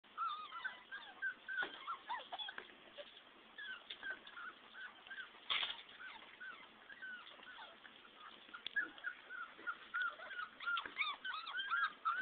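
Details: A litter of 14 English Springer Spaniel puppies fills the air with overlapping whines and yelps. The thin, high squeaks rise and fall constantly in a busy chorus with no steady rhythm.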